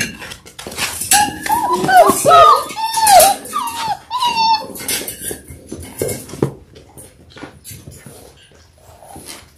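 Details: Six-week-old Labrador Retriever puppies, a litter of six born January 18, 2022, indoors on a puppy cam: a run of high, wavering whines rising and falling over several seconds, with a human voice talking alongside and soft shuffling afterwards.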